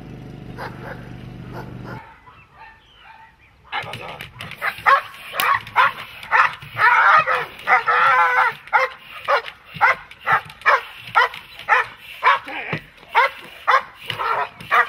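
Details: Dog in protection training, quiet murmur and a low hum at first, then a burst of loud, harsh barks that settles into a steady run of sharp single barks about every half second.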